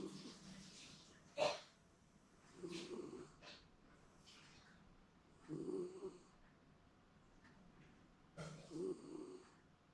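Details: Snoring Shiba Inu, Momo, in a comfortable midday nap at home, seemingly dreaming: low, droning snores about every three seconds, each followed by a breathy hiss of exhaled air in a quiet room.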